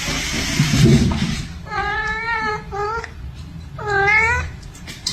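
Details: Domestic cat giving two drawn-out, wavering meows, the first lasting over a second and wobbling in pitch, the second shorter, rising and then falling, with low rumbling room noise beforehand.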